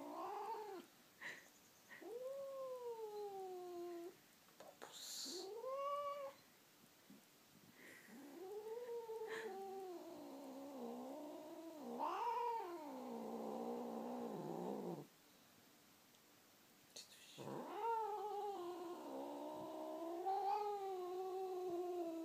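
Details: Bamboo the domestic cat, called by name indoors, answers with a string of meows: short rising mews at first, then longer wavering, bending yowls, separated by quiet pauses and a few soft clicks.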